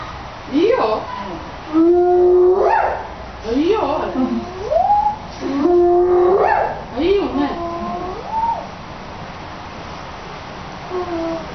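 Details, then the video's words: A spotted hyena at Tennoji Zoo gives a run of swooping, whining calls that rise and fall in pitch. "ブチハイエナ「愛」の鳴き声"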